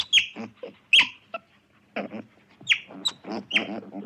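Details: Otter giving sharp, high squeaky chirps with a sudden downward sweep, mixed with lower raspy, grunting bursts. Calls come in uneven clusters over four seconds, with short quiet gaps between them.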